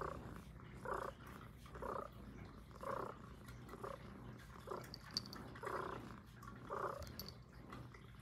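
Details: Female Highland Lynx cat Puff purring steadily for ASMR; regular rumbling pulses about once a second, each inhale and exhale clearly separated, with a couple of brief faint higher clicks and a low steady hum.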